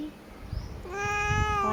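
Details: Domestic cat giving a single drawn-out meow that begins about halfway through, steady and slightly nasal with a clear tone, after a quiet start with faint room noise.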